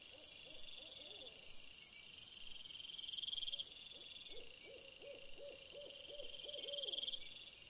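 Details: Trail camera footage of a red fox after sunset, 17 April 2021: a short burst of yelping barks, a pause, then a longer even series of arched hoarse notes about three a second, over persistent high buzzing.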